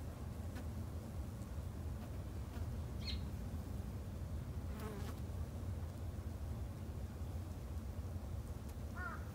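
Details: Backyard-kept Japanese honey bees give off a continuous deep hum, while a few brief chirping bird notes sound now and then, one near the end.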